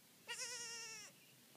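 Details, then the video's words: Newborn goat kid crying: one long, steady, vibrato bleat lasting nearly a second, rich in harmonics, against a quiet background. "Goat kids crying"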